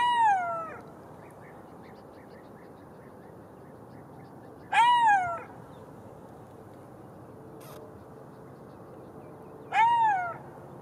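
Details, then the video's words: Three separate golden jackal cries spaced about five seconds apart, each a short, tonal, downward-sliding wail rich in overtones, set against a quiet hissing background with one brief faint click. "Golden Jackal sound call / תן מילל"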